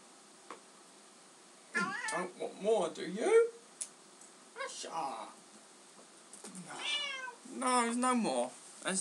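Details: Asha, a treat-loving pet Bengal cat, meowing while being given cat treats indoors; a few quick, strained meows early, then a longer rising-falling wail at the end, mixed with a person talking to her in between.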